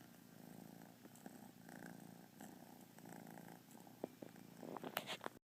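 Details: Kitten having a lazy day, purring in a continuous low rhythmic rumble, with small rustles and a few sharp clicks and movement sounds toward the end.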